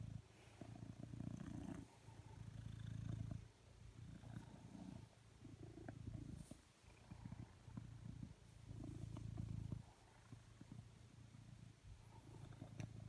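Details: Coconut, a blue British Shorthair pet cat lying beside a person on a sofa, asking for cuddles. He purrs in a low, rumbling way, in swelling bursts of one to two seconds. The bursts alternate with quieter gaps, with faint rustles between.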